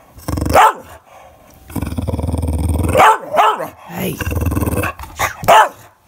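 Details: English Bulldog throwing a fit because nobody is playing with him, mixing low rumbling growls with loud wavering bark-cries that rise and fall, about five outbursts in a few seconds, indoors.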